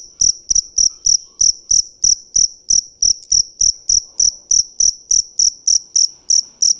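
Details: Shrill, high chirps from a dế mèn cricket, each a short buzzy burst, repeated rapidly and evenly at roughly three and a half per second without pause.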